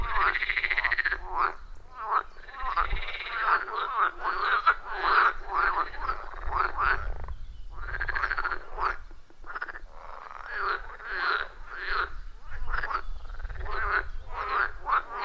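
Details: At a forest pond, many frogs call together in a loud, rhythmic chorus recorded on iPhone 14 Pro with Shure MV88+; rapid rasping croak pulses stutter in clustered bursts with brief gaps, over low rumbling background noise.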